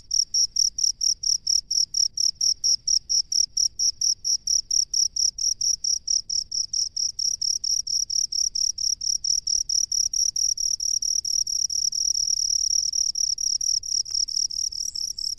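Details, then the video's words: Shrill cricket chirps from a rice paddy, evenly spaced pulses at first that speed up and merge into a near-continuous high trill toward the end; the background is otherwise quiet. "SUARA JANGKRIK PENGHUNI SAWAH"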